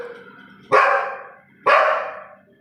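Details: Female pet Labrador Retriever barking at her own reflection the first time she sees herself in a mirror: two loud, sharp barks about a second apart, each fading quickly, with faint indoor voices at the start.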